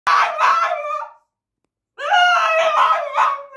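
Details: A French Bulldog cries in two drawn-out, wavering wails separated by a brief pause, possibly wanting to go outside.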